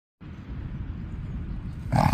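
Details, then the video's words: Dog growling steadily while guarding a stick it has fetched, protecting it as its property from people trying to take it away; low continuous rumbling growl throughout, rising slightly louder at the end. "Protecting the fetched stick"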